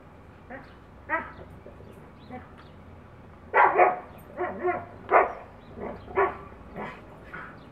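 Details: Siberian Husky playing with a neighbouring dog through a yard fence: a run of short, harmonic barks and yips, sparse at first, then a burst of louder overlapping barks in the middle, with softer whimpering yelps between.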